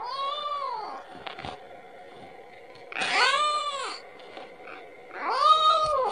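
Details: A kitten cries for its mother, wanting milk: three arched, rather hoarse meows about two and a half seconds apart, with brief clicks and knocks in between.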